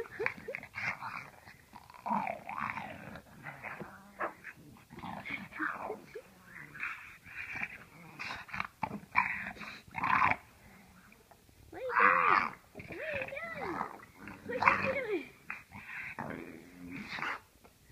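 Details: Dogs being looked after indoors over the Thanksgiving holidays, growling and giving wavering high whines, with bursts of louder vocal activity around the middle and end, and a person talking in between.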